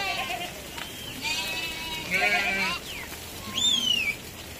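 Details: A flock of sheep descending from the highlands toward the lowland valleys gives several quavering bleats, some rising and then falling. A thin whistled note comes near the end, and human voices mix in throughout.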